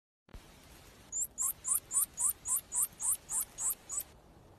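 A young pika gives a quick series of thin, high squeaks, about four each second.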